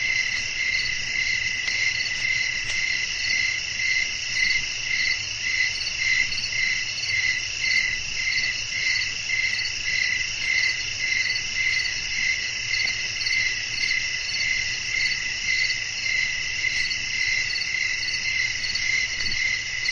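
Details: Evening outdoor atmosphere of chirping crickets and wind, a dense high-pitched insect chorus with regular beating pulses close to two per second, continuous throughout, over a faint low hum.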